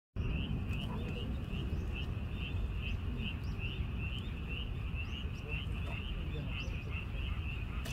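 A frog gives short, high chirping notes in a steady series, about three each second, over low rumbling wind.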